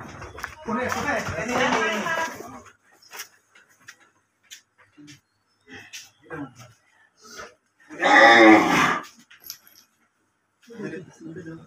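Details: Holstein Friesian cattle being sold. It gives a long, low, harmonic moo of about two seconds, then a second loud moo several seconds later. Men talk and call out between the moos.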